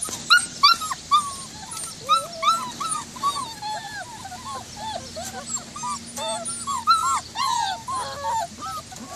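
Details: White German Shepherd puppies at Cedarday Springs Farm whining almost nonstop, overlapping high yelps and arching, falling whimpers rising and fading in bursts across the whole stretch.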